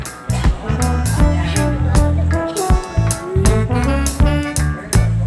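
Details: Upbeat swing-style music with guitar, saxophone and a steady bass beat fills the whole stretch.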